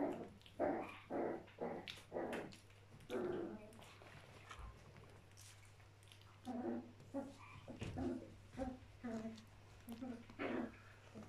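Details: Playful Border Collie puppies, a mischievous little gang, scuffling: low growls and short whiny yelps come in bursts about every half second, with a steady electrical hum underneath.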